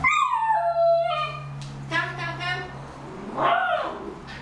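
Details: Homer the miniature schnauzer, clutching a big ball in his mouth, voices a falling whine followed by several shorter muffled whimpers, with a low steady hum beneath.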